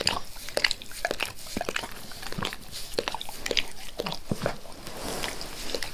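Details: Max, a pet dog, eagerly licks a person's face. Quick wet smacking and clicking licks come in a dense, uneven stream for six seconds, with soft slurps between them and no barking or talking.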